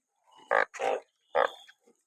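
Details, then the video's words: A banded bullfrog after rain, from a large gathering caught by the sackful; three short, harsh, nasal croaks, the middle one broader and buzzier, with a soft high whine underneath. "อึ่งอ่าง เยอะจัง😮ฝนตกจับอึ่งได้เป็นกระสอบ"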